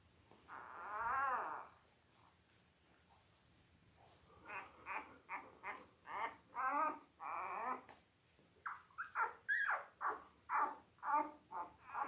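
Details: Labrador Retriever puppies, five days old, born October 15, 2023, in a litter of eight to mother Belle, filmed indoors on a live puppy cam: one long wavering whine, then a run of short rising-and-falling squealing cries about twice a second.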